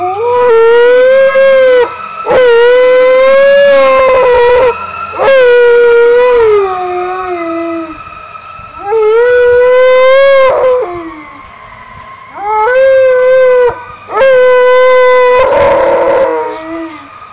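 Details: Pet Alaskan Malamute howling in response to passing fire trucks: five long, loud harmonic howls, each about two seconds, holding steady then sliding, separated by short pauses, with a faint steady siren tone running underneath.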